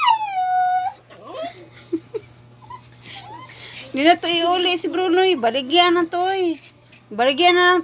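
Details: A dog crying: a high, thin tone near the start, then a run of long, wavering, harmonic wails with rising and falling pitch from midway on. Short pauses separate the wails, and faint background sounds are heard between them.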